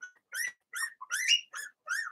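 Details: Young Blenheim Cavalier King Charles Spaniel puppies in their indoor puppy pen, producing five high, squeaky yips with bright overtones, each about a quarter second long and separated by short silences.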